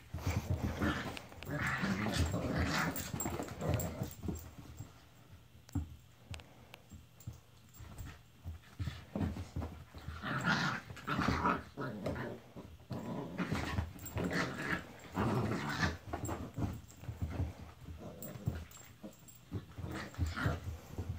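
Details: Indoor play between two Italian greyhound brothers. A long run of throaty growls and snarls swells and fades in bursts, with a few soft whimpers, pauses and the rustle of bodies tussling.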